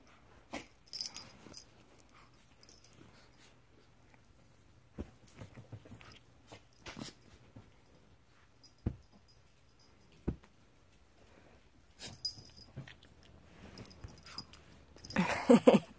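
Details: Kelsey, a rescued Pekingese dog in foster care, plays like a puppy, making scattered short snorts, grunts and scuffling noises, with a person speaking now and then.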